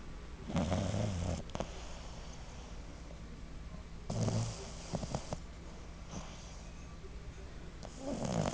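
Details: A sleeping 6-month-old female Boston Terrier puppy, tongue out and eyes half open, snores in low, rumbling breaths that come and go every few seconds.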